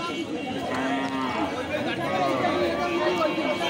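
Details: Large cow at the traditional Ranir Bandar market, recorded on Thursday 19/6/25: a low, drawn-out moo swells and fades, then a second softer lowing follows, set against steady crowd chatter and market bustle.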